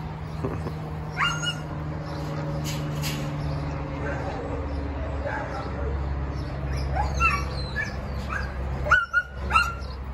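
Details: Dog at a Long Beach, California animal shelter, where a senior Labrador Retriever and a young male Siberian Husky Samoyed await rescue; brief high yelps and whimpers early and again near the end, over a steady low hum and human voices.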